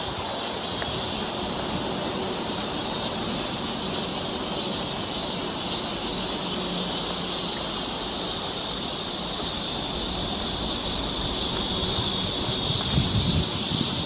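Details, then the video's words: Cicadas along a summer forest trail in Seoul, Korea, give a steady, dense, high-pitched buzzing drone that grows louder toward the end, with faint low rustling below. "cicada sound"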